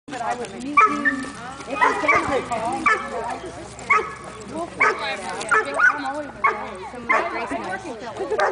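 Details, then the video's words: Weimaraner, a male, chewing on a little stick while letting out a run of short, wavering howl-like yodels, repeated roughly every second, with rustling and a person speaking. "Howl -o-Weim Bunker and his stick"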